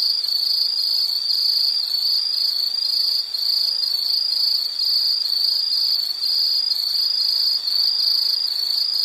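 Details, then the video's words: A loud, shrill insect call: a high, ringing trill pulsing in quick, regular beats, with a couple of short breaks. "Sound · Nature Sound of nature sounds scenery L · insect"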